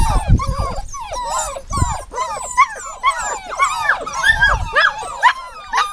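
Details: A chorus of dogs whining: many short, arching whimpers overlap and repeat quickly, with low thuds and rustling underneath at the beginning and again around two and four and a half seconds.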